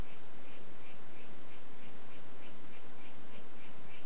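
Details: Harlequin poison frog, White Footed form, calling in a rapid series of short, high buzzy pulses repeating about three times a second over a loud steady hiss.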